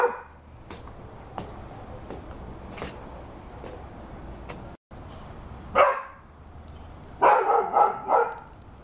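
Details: Rhodesian Ridgeback dog; faint ticks and quiet at first, then one strong bark and a rapid run of three or four barks near the end.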